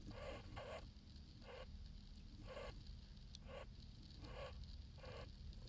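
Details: Jerboa giving short, raspy pulsed calls, each a brief burst with a low nasal tone, repeated irregularly about eight times in under six seconds over a steady low rumble of background noise.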